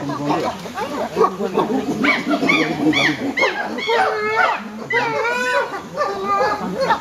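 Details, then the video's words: Chimpanzees calling in trees to tell other chimps that good food has been found; a chorus of loud hooting and rising, arching screams, several callers overlapping, with low grunts beneath. "Chimps Calling in Trees"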